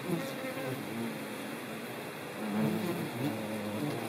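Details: Colletes hederae, the ivy bee, recorded in rural Nouvelle-Aquitaine, central France, on 17 September 2018. Several low buzzing tones slide up and down and overlap, swelling louder midway, over constant hiss.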